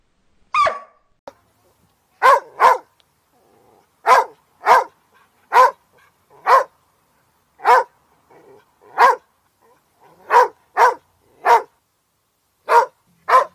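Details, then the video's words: Border Collie giving a steady series of crisp, clipped barks, often in doubled pairs, roughly a dozen bursts at one-to-two-second gaps against a quiet background. "OUÇA O SOM DO BORDER COLLIE LATINDO"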